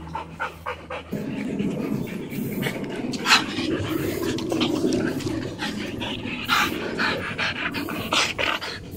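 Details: Dog panting from a household of two Alaskan huskies, August and Oscar, and Sugar the golden retriever; fast, rhythmic, breathy panting runs throughout, broken by brighter bursts of rustling and movement.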